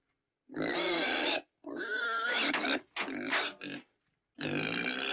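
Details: Domestic pig giving four harsh, loud squealing grunts, each about a second long and rich in buzzy overtones, separated by short silences, with a drawn-out final squeal.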